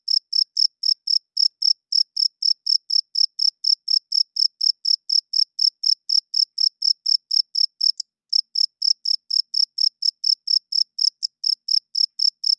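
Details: Male crickets at night chirp to court females and hold territory. A steady train of shrill, evenly spaced chirps runs throughout, with short breaks at about eight and eleven seconds, against an otherwise silent background.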